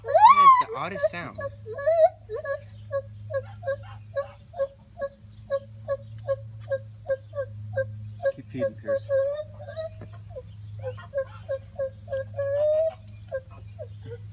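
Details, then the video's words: Gibbons calling from the trees at Monkey Island Rescue, recorded on a cell phone: an opening rising, wavering whoop, then a long run of short hooting notes about twice per second, ending in a rising note, over a steady low hum. "Gibbon Ape calls"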